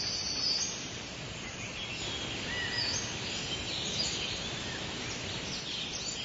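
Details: Summer chorus of cicadas, an unbroken high buzzy hiss with small shifts in loudness, while brief thin bird chirps come through now and then.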